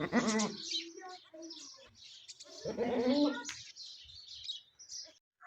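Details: A goat bleats while giving birth to a kid on a small farm: a short wavering bleat at the start and a longer one about three seconds later, with faint high chirps and background chatter between.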